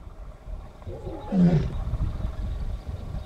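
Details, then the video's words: A lioness in the Northern Serengeti roars to call other members of her pride: one deep, harmonic roar swelling and falling over about a second, then low rumbling grunts trailing off under faint outdoor background. "Lioness Roaring"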